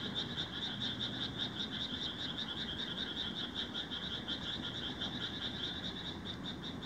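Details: Indian rice frogs calling together in Himeji, Hyogo, Japan, 1 July 2018, recorded on a Nikon COOLPIX AW130: a busy, unbroken chorus of fast, pulsing trills, about two to three pulses per second, over low background rumble.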